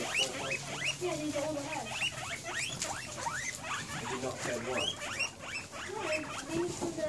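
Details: Guinea pigs excited, apparently anticipating dinner: a steady stream of quick upward-sweeping squeals, many overlapping, with brief lower chuckling notes and light background rustle.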